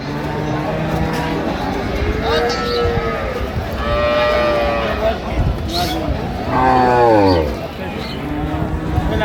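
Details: Improved-breed dairy cows with calves at Ambari market in Dinajpur, mid-September: several long, resonant moos, one sliding downward near the end, stand out above the steady murmur of buyers and sellers talking.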